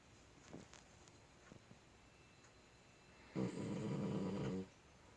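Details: Sleeping puppy snoring indoors: one loud rasping snore lasting just over a second, rough and low with layered harmonics, after a few faint soft breaths in a quiet room.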